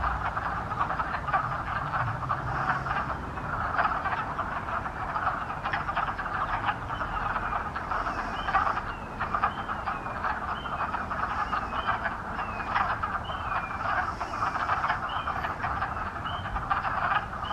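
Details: A dense chorus of wood frogs at a cranberry bog on March 11, 2020: overlapping low, duck-like clucks, with a few high rising peeps above.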